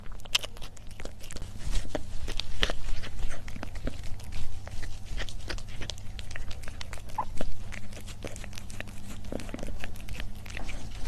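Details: A domestic cat chews its food in a close-up mukbang ASMR recording: sharp crunching clicks repeat rapidly and unevenly over a constant low room hum, with a few louder bites standing out.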